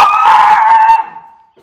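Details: Miniature Schnauzer brothers Lucky and Levi, white miniature schnauzers in Aroostook County, Maine, indoors after time in their yard, let out a loud sustained howl held near one pitch, fading out after about a second.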